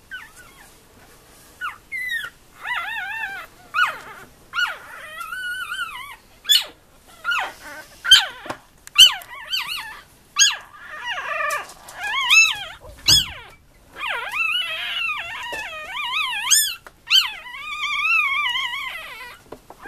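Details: Litter of four-day-old Tibetan terrier puppies in a kennel, crying almost continuously in high, wavering, harmonic whines and squeals, many overlapping, about one a second across twenty seconds.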